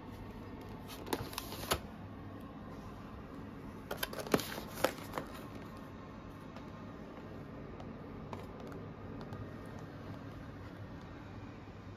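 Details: Quiet indoor room tone with a few clicks and clattering taps, no animal sounds heard.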